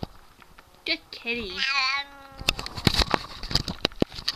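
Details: Siamese cat indoors, giving one drawn-out wavering meow that rises then slides down, after a person softly says kitty; followed by clattering clicks and handling noises.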